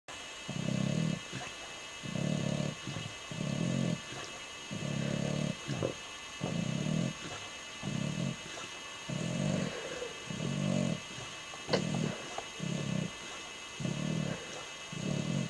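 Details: Ozzy, an English Bulldog, snoring while asleep, a habit of his, with flapping lips; low rumbling snores come in bursts of about a second, repeated steadily with short gaps, some with a rattling edge.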